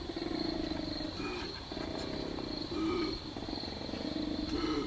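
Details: Koala bellowing at night on a wildlife sanctuary property in Australia, throwing its head back so the sound reverberates; deep, rasping, pulsed bellow in repeated bursts, with a person talking over it.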